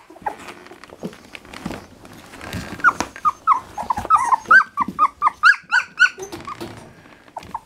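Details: Litter of three-week-old Standard Poodle puppies at morning feeding time, producing a rapid string of short, high, rising whimpers and squeaks, about two per second, after a stretch of quieter shuffling and handling sounds.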